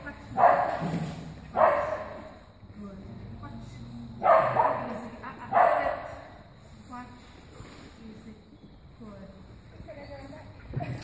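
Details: Cianán, a Soft-coated Wheaten Terrier, lets out four strong barks in two pairs over roughly six seconds, followed by softer murmuring sounds and a quiet background.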